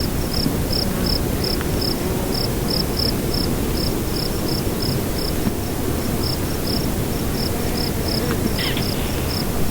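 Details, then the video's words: Cricket at nightfall in windy weather: short, high, even chirps repeat roughly two to three times a second throughout, over a steady, heavy low rumble of wind. "Nightfall Cricket Windy Ambience"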